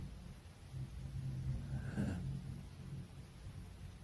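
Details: Poodle sleeping with its eyes rolled back, snoring in a gradual 'gradation' style; one drawn-out low rumbling snore swells to a peak near the middle and then fades away.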